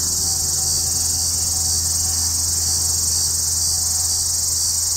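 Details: Hadoa duryi cicada singing from deep inside a cluster of juniper trees south of Walsenburg, Colorado, on July 2, 2012, at 2:38 pm, after sunny skies turned overcast: an unbroken, shrill, high-pitched buzz with a faint low hum beneath.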